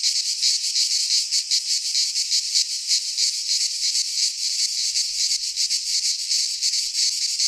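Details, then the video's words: Wild cicadas in a Greek pine forest during midsummer, chorusing in a harsh, high, continuous buzz that pulses rapidly, several insects blending into one steady sound. "Cicadas singing in midsummer - Nature sounds from the Greek fauna - Sounds of cicadas"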